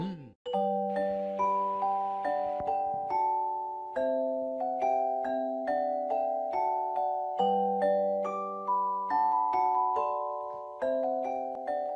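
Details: A bright glockenspiel or xylophone melody plays steady ringing notes over sustained tones, with no animal voice anywhere.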